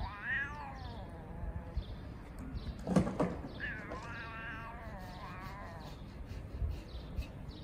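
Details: Two homeless street cats meowing at each other to sort things out; quiet, drawn-out meows with bending pitch, one early and a longer wavering one later, over low background rumble.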